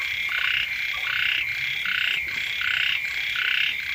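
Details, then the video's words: Frogs calling near a house when rain has newly begun, heard as harsh, buzzing croak bursts, each roughly half a second long, repeated in a rolling, overlapping rhythm around eighty times a minute. "เสียง กบ เขียด ร้อง อยู่แคมบ้าน"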